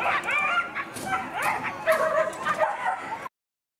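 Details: Female Whippets at the Lednice Hare race heats give excited, high, sliding yelps and whines. They overlap in quick irregular bursts, with scattered background noise from the event.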